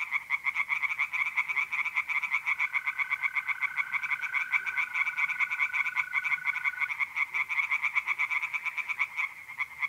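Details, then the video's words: Pond chorus of tree frogs on an April night in north-east Italy, with many overlapping, quick, rattling croaks pulsing steadily. A smooth, even trill runs underneath from about two and a half to seven seconds. "relaxing singing tree frogs in pond"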